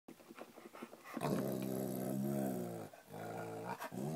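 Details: Pet female dog indoors in a small room growling at Guitar Hero game sounds she hears while her owner plays on headphones; a long, steady, rumbling growl held for about three seconds after a few short huffs, with brief dips.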